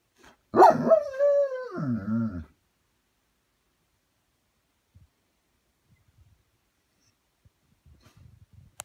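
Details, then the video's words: A German Shepherd, mimicking husky howls heard on a video, gives one drawn-out howl that starts high and slides down in pitch. "My German Shepherd Howling and doing head tilts"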